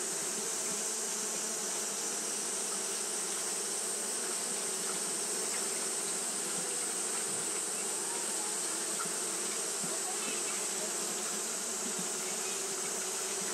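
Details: Japanese honey bees fanning nonstop on a hot day: a dense, steady droning hum with low tonal bands and a bright hiss above, unbroken for the whole stretch, with faint scattered ticks.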